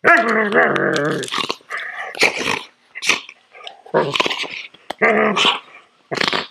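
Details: While being groomed, a poodle gives a long harmonic whining growl, then breaks into rough snapping snarls in quick bursts.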